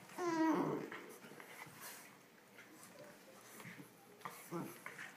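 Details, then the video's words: Playful Olde English Bulldogge puppies, ten weeks old, inside a small room: one drawn-out descending whine near the start, then scuffling and faint thumps of play. "10 week puppies playing"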